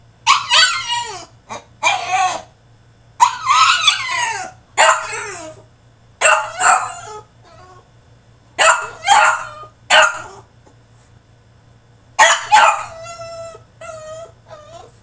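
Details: French Bulldog throwing a tantrum in his cage: bursts of high, harmonic whining yelps and barks, each about a second long, coming in irregular clusters with short silent gaps and a steady low hum beneath.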